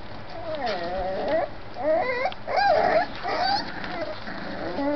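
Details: Five-week-old dog puppies: drawn-out, wavering whines and howl-like yowls with clear harmonics, several overlapping and rising and falling in pitch, over steady background noise.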